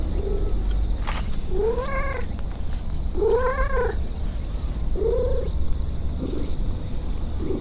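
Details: Stray cat purring while meowing: four drawn-out, arching meows with rich overtones spaced about 1.5 seconds apart, then a softer short mew, all over a steady low rumbling purr.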